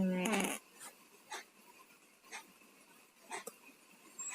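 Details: Two domestic cats with colds snoring while asleep indoors; a loud nasal snort opens, followed by soft raspy breaths about every second, congested and irregular.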